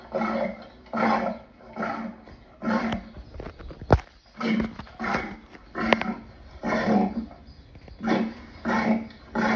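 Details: Lion roaring in a slow rhythmic series of deep, breathy grunts, roughly one per second, each swelling and fading, with a few sharp clicks and a constant low hum behind.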